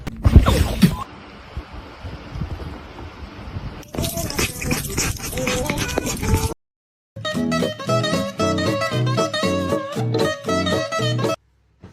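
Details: Strummed guitar and other music fill most of the recording, broken by a stretch of broad noise and a brief silence. No animal call stands out from the music.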